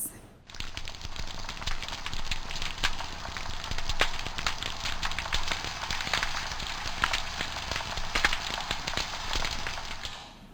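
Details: Snapping shrimp, a marine source annoyingly common in tropical waters, crackle in a dense, popcorn-like chorus of sharp, overlapping clicks and pops, produced with their one oversized claw.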